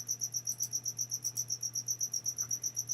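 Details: An unseen cricket indoors keeps up rapid, evenly spaced high-pitched chirps, roughly four a second, over a constant low hum, with a couple of faint clicks.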